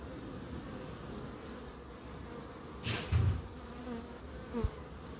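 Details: Bees humming in a small Crookes wildlife garden, with a constant low drone, a louder buzzing fly-by partway through, and a brief rising whine near the end.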